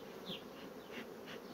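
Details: A continuous low buzzing from honey bee colonies rapidly expanding their brood frames, with a few faint high chirps drifting over the drone.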